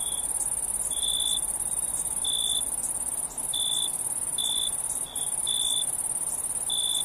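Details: Nocturnal cricket chorus: a continuous high-pitched trill with brief lower chirps repeating irregularly, some doubled, roughly every second, with no other animals audible.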